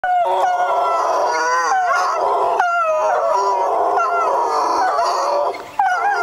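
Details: Two wolfhounds howling in response to a siren in June 2009: overlapping wavering, sustained howls with sliding pitch, several voices layered continuously, with brief breaks and a short quiet dip near the end.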